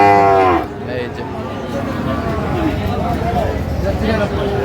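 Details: Sahiwal bull calves at a busy cattle market in Chuadanga, Bangladesh, on 9 June 2025: one short, falling, harmonic moo opens, then fades into steady crowd chatter and bargaining voices.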